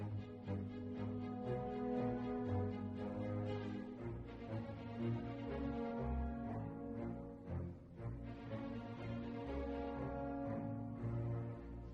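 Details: Layered background music with sustained tones and a steady beat fills the whole stretch, with no animal calls audible.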